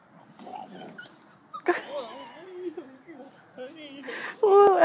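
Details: German Shepherd puppy giving high, wavering whines and short yips that rise and fall, ending in a louder drawn-out whine, while a person talks close by throughout.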